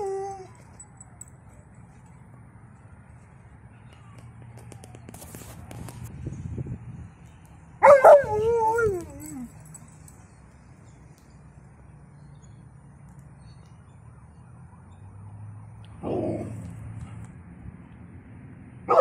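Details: Alaskan Malamute female, excited by other dogs and howling as an ambulance passes; one wavering, sliding howl mid-clip, a shorter vocal burst near the end, quiet background noise between.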